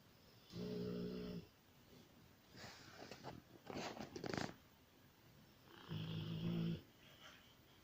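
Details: Sleeping Rottweiler snoring indoors, two harsh droning snores about five seconds apart with rough noisy breaths and snorts between them.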